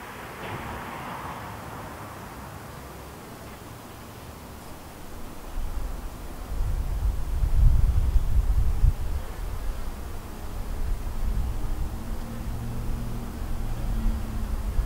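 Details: Bees from the White hive, a split off the Yellow hive, buzz about the hive entrance: a soft hum that swells louder midway, with wavering droning tones late on over a low windy rumble.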